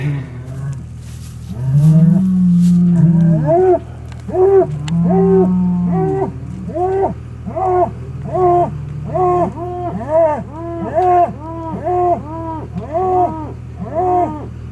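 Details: Hereford bulls, big herd sires, moved around for fertility testing: deep lowing, first as long steady moos, then as short arched bellows repeated about once a second, over a low constant hum.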